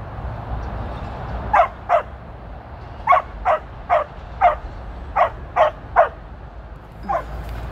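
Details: Female Border Collie named Tir, on her 13th birthday, on her first run with sheep on 2/23/23. Sharp barks mostly come in quick pairs, about ten in all over several seconds, against a low rumble of wind.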